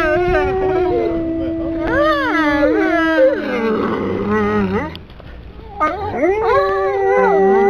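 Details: Captive Swedish wolves, four males, at Kolmården Zoo, Sweden, in January 2007. Several long, smooth howls overlap, sliding up and down in pitch. A rough break comes near the middle, and a man speaks before the howling.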